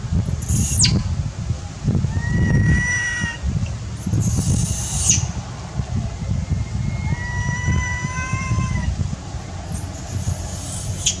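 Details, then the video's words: Hungry, motherless infant monkey crying for milk: three high piercing screams falling steeply in pitch, interspersed with drawn-out, wavering whimpers, over a constant low hum of outdoor noise. "Crying full clip, Poor baby monkey lost mom, Crying hungry need milk"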